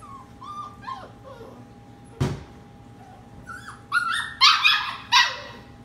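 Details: Puppies at night, among 15 sleeping in a kitchen, give scattered high whimpers and short yips. A sharp knock sounds partway through, then a louder cluster of yelping cries near the end over steady appliance hum.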